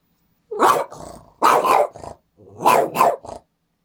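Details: Excited Boston Terrier indoors, going wild as its owner works at a computer; three rough, growly barks each trailed by softer grumbling tails, about one second apart.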